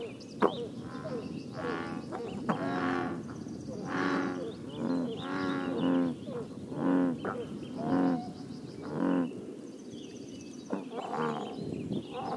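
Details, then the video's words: At a scenic Northern California pond, American bullfrogs give a rhythmic series of low, twangy croaks about one per second, over steady background hiss, with faint high chirps from other small creatures. "Bullfrogs Croaking in Northern California"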